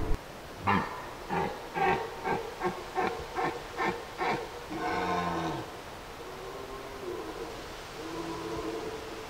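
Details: A wild, free red deer stag in the Aubrac, France, bellows during the 2022 autumn rut, giving a run of short, hoarse grunting roars and then one long drawn-out bellow, with wind around.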